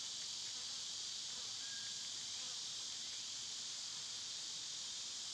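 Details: Cicadas in summer give a loud, unchanging sizzling buzz for the whole stretch, with one faint brief whistled note in the background.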